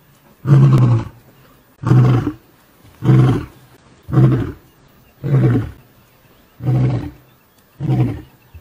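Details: A big male lion, chased from his territory by younger lions, delivers a steady series of seven deep, short grunting roars, each about a second apart, with little else heard around them.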